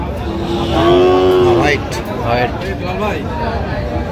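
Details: Sahiwal bull calves at a cattle market in Shariatpur, Bangladesh, on 12 August 2025. One loud, tonal moo lasts about a second, followed by men talking over a busy market din.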